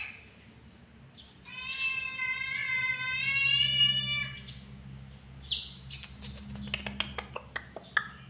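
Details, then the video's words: An angry cat utters one long, drawn-out harmonic yowl lasting about three seconds, steady then slightly falling, followed by a short squeal and a run of sharp clicking taps over a low hum. "The sound of an angry cat"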